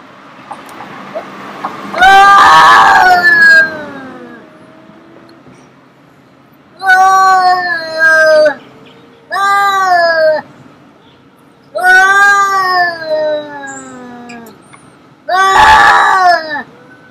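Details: Cats fighting, with long drawn-out wailing yowls lasting one to two seconds each, wavering in pitch and coming in five bursts, including one harsh, noisy screech.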